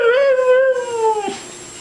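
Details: Pet dog giving a drawn-out, singing howl that wobbles slightly and glides gently downward before cutting off, followed by a faint breathy sound.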